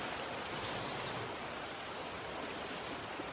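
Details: Black cicada (cigarra-do-coqueiro) calling insistently: one loud, shrill, rapidly pulsed buzz lasting about half a second, then a fainter shorter echoing burst, over soft steady background noise.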